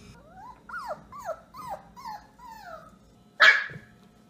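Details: A puppy lets out a quick series of short, high yips, each sliding downward, about five in two seconds. They get softer, then comes one harsh, noisy bark-like burst.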